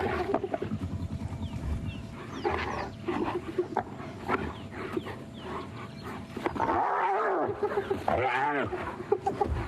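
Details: At sunrise on 11 January, a spotted hyena clan, including sub-adults, attacks one individual of unknown sex, targeting its ears as it struggles to escape; growls, squeals, yelps and contact calls overlap chaotically.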